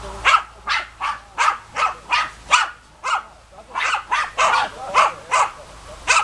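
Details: Barks of a German Hunting Terrier, a Deutscher Jagdterrier: a steady run of about fifteen loud, rasping barks at two to three per second, evenly spaced, close and dominant with no other clear sounds.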